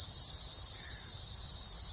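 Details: Periodical cicadas, said to emerge every 13 years and buzzing all week, fill the air at a North Carolina park overlooking a lake in 2024 with a steady, high, hissing buzz that never breaks.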